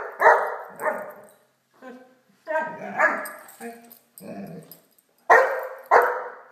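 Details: Blacky, a Great Dane puppy, barks during play with a toy dog: clusters of sharp barks separated by short pauses and softer growling yips, with a person speaking faintly in the background.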